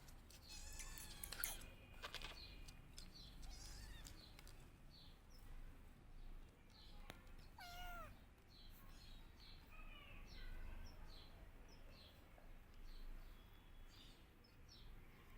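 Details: Kittens crying and meowing for their missing mother, searching for her. Scattered high, thin mews, then a loud, wavering, downward-bending cry midway, followed by quicker overlapping squeaky calls over a low rumbling background.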